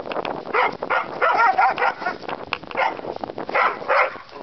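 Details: Two dogs at play, a terrier mix and a bulldog still learning the game, trade throaty growls, whiny yips and grumbling snorts in quick overlapping bursts with hardly a pause.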